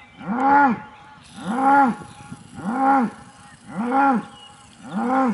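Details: Aubrac bull calling at a farm with a motorhome area near Laguiole, France; five loud, low, harmonic moos, each swelling and falling, repeated about once a second with brief quiet gaps between.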